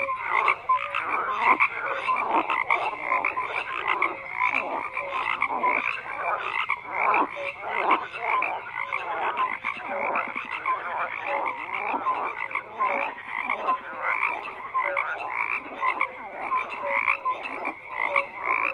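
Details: Long stretch of a crowded frog chorus, countless croaks overlapping in rapid rasping pulses and brief clear notes, loudness rising and falling slightly but never pausing.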